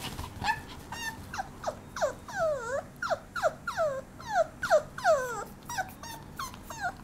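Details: Papillon puppy giving a quick series of high, tonal whining yelps, each sliding downward in pitch, about three per second with uneven spacing, over a low, steady background hum.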